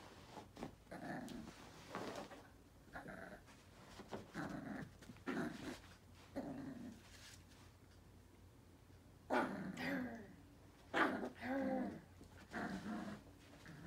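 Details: Young male Yorkipoo puppy, a Yorkshire terrier and toy poodle mix, in Langley, British Columbia, Canada, wanting to play with a WALL-E toy: short growly grumbles and whines in irregular bursts, with soft human speech in a small room.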